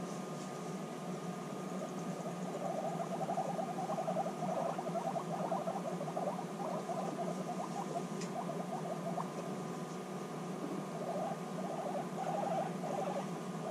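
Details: Guinea pigs reunited after six months apart, bonding intensely; low pulsed rumbles come in bursts and pauses over a steady mechanical hum and background noise.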